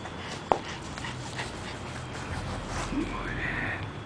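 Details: A one-year-old male Jack Russell Terrier lets out a short sharp yelp, then a faint low whimper and a thin rising whine near the end, over a steady background hiss.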